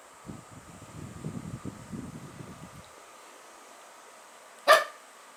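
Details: After a few seconds of soft shuffling, the dog Bun, whose voice had been doubted, gives one short, loud, sharp bark near the end.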